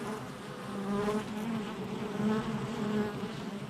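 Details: Many honey bees buzzing at a hive entrance, recorded July 22nd, 2024; a thick, continuous hum with brief rising and falling whines as single bees fly close past, loudness swelling and easing.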